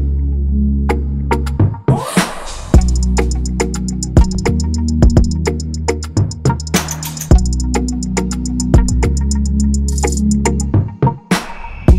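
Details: Electronic music with a heavy bass beat and sharp drum hits, with no animal sounds.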